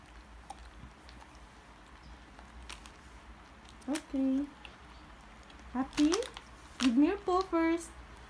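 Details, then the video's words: Female Border Collie indoors at medicine time, asked to give her paw for a treat: short rising whines and yelps, one single, then a quick cluster of three or four near the end, with a woman talking between them. "Border Collie/Medicine Time!!!"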